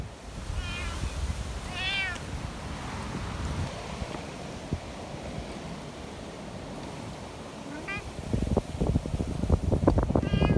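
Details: Friendly community cats in the mountains during a fierce windstorm; several bright, wavering meows arrive in bursts, two close together early and more near the end, over constant gusting wind, with heavy rustling and thumping toward the close.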